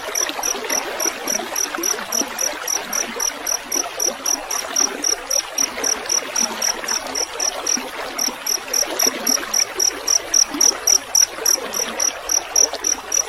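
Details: Field cricket chirping from a rice field, used as a training recording for songbirds: steady high pulsed chirps at about four per second throughout, over continuous trickling water.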